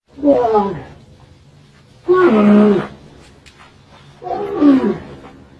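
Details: Camel calling: three drawn-out, moaning calls with rich harmonics. Each lasts about a second, and they come roughly two seconds apart. Some bend downward and one holds a steadier low tone. Quiet background between calls.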